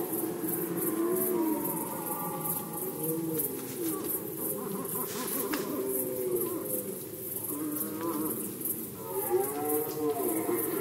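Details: Red deer in rut, Poland 2020: a continuous chorus of deep, wavering groans with bending harmonic tones, one louder rising-and-falling bellow near the end, under faint broadband hiss.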